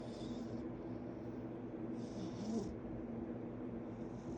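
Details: Male foster cat sleeping with eyes closed, snoring softly: low, steady breathy rumble with faint hissing breaths recurring roughly every two seconds, against a constant muffled background hum.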